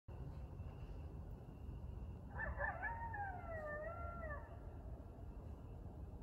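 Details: A couple of coyotes howl at night, around 10–11pm, in forest in Burlington, Ontario, in clear wavering, overlapping tones that rise and fall over a low rumble of background noise.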